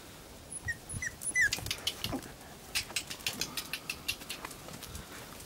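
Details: Tibetan Terrier puppies, 38 days old, give a few brief high whimpers early on, followed by a run of rapid scratchy tapping and patter sounds.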